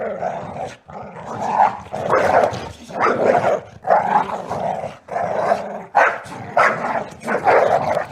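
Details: Two male dogs fighting viciously indoors, nails on a wood floor: harsh, raspy snarling growls in dense bursts of about a second each, separated by brief gaps, rising to loud overlapping snarls throughout with scrabbling.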